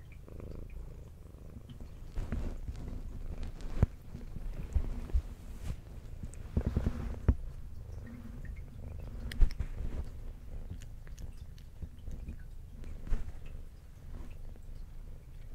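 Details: Adult brown tabby house cat with white underside purring while eating indoors; continuous low rumbling purr in rhythmic breaths, with scattered crisp chewing clicks and mouth noises, louder bursts near seven and nine seconds.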